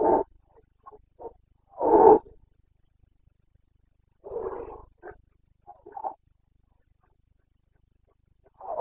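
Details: Carpathian red deer stag in Bucovina during the September 2022 rut, uttering a series of short, hoarse, throaty grunts and roars at irregular intervals, the loudest around two seconds in, with quiet gaps between.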